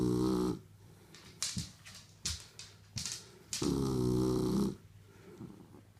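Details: Kaiser, a Shar Pei pup of five months, snoring while asleep. A short rough snore opens the clip, brief snuffly bursts and clicks follow, then a long rattling snore of about a second.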